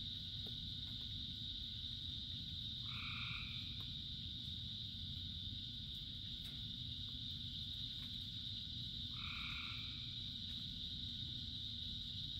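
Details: In rain, with thousands of frogs singing, two brief double-pitched croaks come roughly six seconds apart against a steady high drone and the roar of falling rain.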